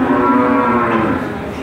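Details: A single long, level moo from a calf at the Randudongkal cattle market, Pemalang, Indonesia, over a noisy background of crowd murmur.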